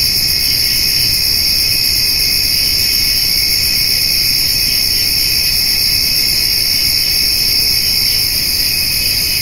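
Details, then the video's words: Crickets trill through a summer evening while a white-tailed doe and her spotted fawn eat hay, grasshoppers joining in. A steady, unbroken shrill drone stacked in several high bands holds without pause throughout, with faint low rumble beneath. "Summer Evening with Cricket and Grasshopper Sounds"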